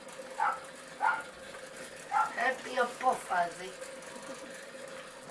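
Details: Miniature Pinscher puppies at 15 weeks, a litter bred in Hungary from Arco Iris from Hungary Domingo and Bácskautcai Vénusz, giving high, whiny yelps in short bursts, about eight over four seconds, with a steady mechanical hum beneath.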